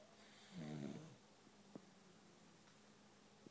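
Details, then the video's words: Boxer dog snoring while asleep indoors, one of two boxers napping on couches in a room; a single low rumbling snore swells and fades over half a second, followed by faint clicks in a quiet room. "Snoring Boxers"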